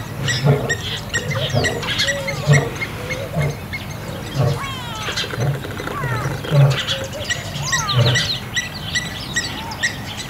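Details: Lion in Kruger National Park at Kambaku River Lodge, an old male fighting young males over territory; deep grunting pulses repeat about once a second beneath a busy chorus of chirping and whistling birds.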